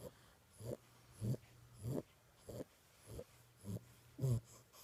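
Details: Six-week-old Boxer puppy asleep and snoring: short, rough snorting breaths come about every 0.6 seconds, each a brief raspy burst with a low rumble, over a faint steady hum in a small quiet room.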